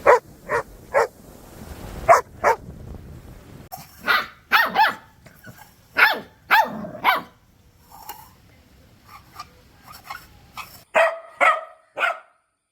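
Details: Puppies barking toward the camera or an off-screen sound: repeated sharp barks in irregular bursts, a quieter stretch of soft yips midway, then a final cluster of loud barks.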